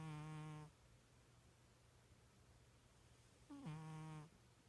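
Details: Cat snoring while asleep, likened to a little pig: one harmonic buzzing snore fades out at the start, another rises in about three seconds later, with a faint electrical hum beneath.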